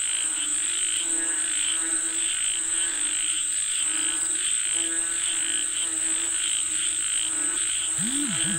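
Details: Frogs calling for rain: overlapping, pulsed nasal croaks repeat steadily through the chorus, with a constant high-pitched insect whine above and a couple of short swooping chirps near the end.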